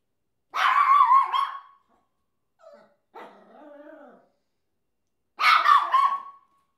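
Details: Papillon named Chesster, a pet dog that barks at everything: two drawn-out, high, harsh barks open and close the recording, with a softer, wavering lower vocal sound between them and short silent gaps.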